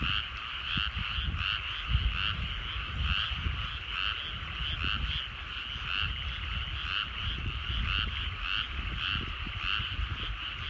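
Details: Evening frog chorus from countryside rice paddies under the setting sun; dense, continuous rasping croaks from many frogs blend together, with a stronger low rumble underneath throughout.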